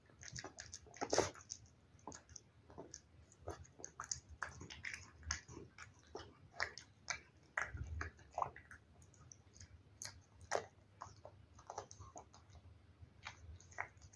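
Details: Cat eating wet food indoors: dense, irregular wet chewing and biting clicks, sharp smacks clustered in bursts with brief pauses, steady low room hum beneath.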